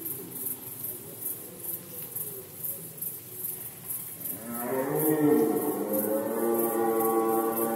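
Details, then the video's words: Rutting red deer in Poland, autumn 2020. A low murmur gives way midway to a loud, sustained, rich-harmonic roar that holds steady to the end. "Rykowisko jeleni, Rut season of Red Deer"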